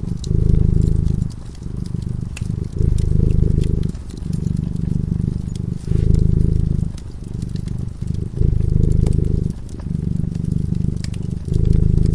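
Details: Sleeping cat by a cozy fireside gives a deep, throbbing purr in steady cycles, loud phases of about a second alternating with softer ones, while the burning fire snaps and crackles in the background.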